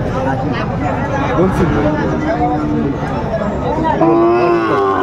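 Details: Sahiwal bull calves for sale at Aftabganj market, 4 May 2024: several short, overlapping moos wavering in pitch, then a louder sustained low at the end, under busy crowd chatter.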